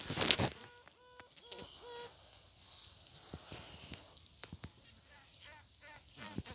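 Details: Newly emerged honey bee queen in a requeening hive with several queen cells, piping to assert dominance over the other queens; a long steady tone followed by short, evenly spaced toots, with a man talking and handling noises around it.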